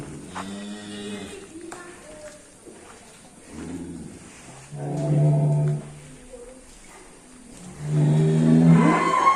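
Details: Rampaging contest cattle, a tall Ongole crossbred (PO) used for riding, gives deep drawn-out moos of about a second each, two loud bellows in the second half, with a man talking and background noise.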